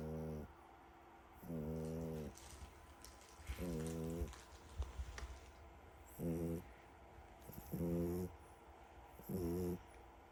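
A French Bulldog snores deeply, each rough, buzzing breath repeating about every one and a half seconds.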